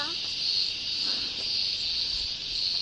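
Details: A chorus of forest cicadas on the way to the waterfalls: a continuous high-pitched drone with a gentle wavering pulse. It holds steady throughout and there is only faint background rustle.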